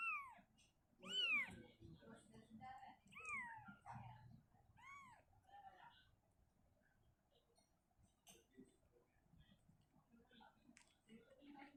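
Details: Mother cat Shizuka relocating her kitten from a cabinet to an open spot indoors: a run of four bending meows in the first five seconds, then quieter clicks and shuffling sounds in a small room.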